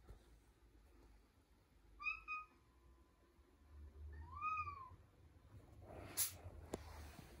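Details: Milo, a pet cat with a soft meow, speaking up before walking off: two gentle, arched meows about two and a half seconds apart, then a brief sharp clatter near the end in a quiet indoor room.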